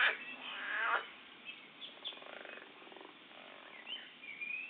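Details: Fighting frogs give a loud, strained, harmonic squeal for about a second, followed by a softer pulsed rattling croak and faint high chirps, all over low background hiss.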